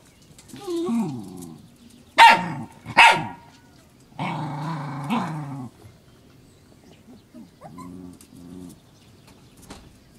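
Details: Cairn Terrier puppies about seven weeks old (born 25 April 2012, recorded 12 June 2012) growl and let out a couple of sharp, high yips.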